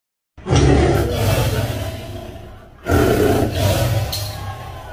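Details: Tiger roaring: two loud, deep, rasping roars, the first starting just after half a second and the second near three seconds, each trailing off slowly.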